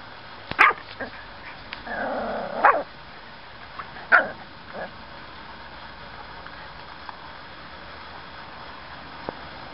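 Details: Seven-week-old Miniature Schnauzer puppies give a few short sharp yips and barks, scattered over the first five seconds, followed by a quiet stretch with faint background hum.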